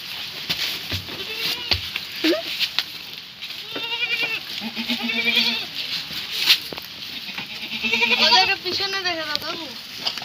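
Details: Goats at a farm in Jhargram, West Bengal, India, sold and being led away; wavering, quavering bleats come midway and again near the end, with people talking and clattering around them.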